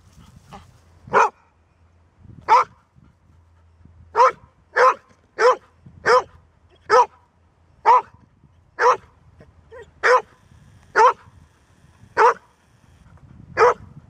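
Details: Golden Retriever, a seldom-barking dog showing its stamina, barking steadily with about fourteen sharp barks, roughly one per second, over a faint low hum.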